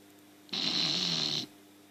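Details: An English Bulldog gives a single harsh, hissing snore lasting about a second while its tongue comes out and spasms.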